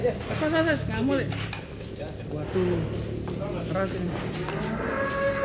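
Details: Giant cattle in a pen in Indonesia, raging while being fed and weighed: deep, drawn-out lowing moos rise and fall over several seconds, layered with background music.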